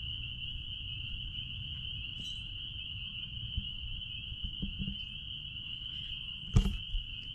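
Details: Out back at a blueberry farm, spring peepers keep up a steady piercing high-pitched drone of overlapping peeps; faint low rumble underneath, scattered small taps and one louder knock late on.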